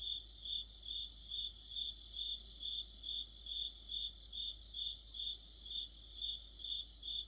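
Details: Autumn insect chorus led by crickets: a steady high-pitched chirp pulsing about 140 times a minute, joined by a second, higher insect calling in short rhythmic bursts, with no other sounds.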